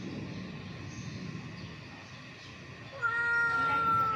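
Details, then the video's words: Hungry ginger kitten fighting for food lets out one long, level, loud meow starting about three seconds in, after quiet rumbling background noise. "kittens fighting over food | hungry kittens"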